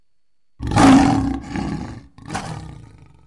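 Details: A lion gives a deep, rasping roar in two powerful bursts, the first loudest and longest; recorded July 2016.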